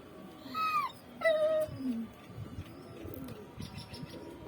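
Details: Pet dog whimpering, eager to go outside: two short falling whines close together, then a lower fading moan, over a steady background hum.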